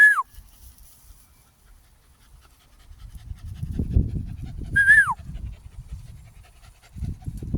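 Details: Smooth-haired German Jagdterrier hunting dog panting: soft, low, rhythmic breathing swells through the middle seconds and returns at the end, with two short, falling human whistles at the start and near five seconds.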